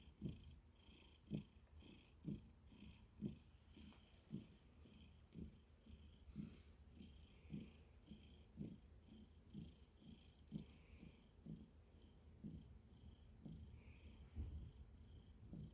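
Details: Domestic cat purring softly, a low rhythmic rumble pulsing about once per second throughout, quiet and close.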